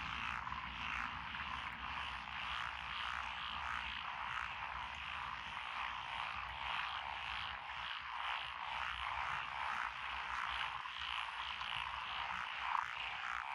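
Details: Frogs calling in lotus paddy fields along a rural road, Echizen City, Fukui Prefecture, Japan, June 2021; many overlapping rattling croaks pulse continuously in a thick chorus, with a faint hum underneath and one brief sharper note near the end.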